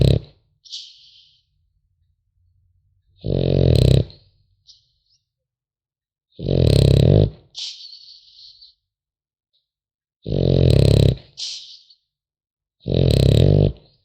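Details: French Bulldog puppy sleeping and snoring: five heavy, low grating snores spaced about three seconds apart, each trailed by a short hissing or snuffling exhale, in a quiet indoor setting.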